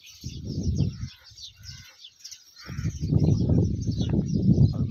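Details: Camel in the Tharparkar desert of Pakistan, filmed alongside a girl; deep, pulsing, gurgling rumbles come in two bursts, a short one first and then a longer, louder one, with faint high chirps in the background.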